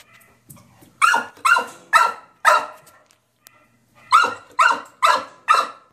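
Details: Puppy shut in a steel cage, demanding to be let out: two rapid bursts of four barks each, roughly two per second, sharp-onset and mid-pitched, separated by a brief quiet pause.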